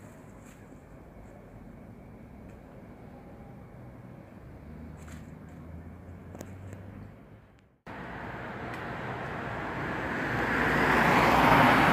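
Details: Steady low traffic rumble with faint clicks fills the first part, then a brief cut. Louder broadband vehicle noise follows and swells toward the end, with no animal voices.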